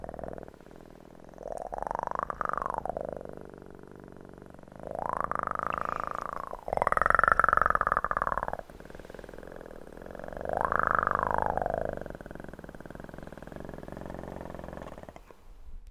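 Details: Kitten purr for ASMR, a long pulsing rumble swelling into four arched, voiced surges that rise and fall every few seconds, each lasting one to two seconds, over quiet low hum.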